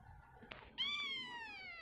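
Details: Hungry kitten gives a single drawn-out meow, steady then slowly falling, after a faint tap; quiet indoor background.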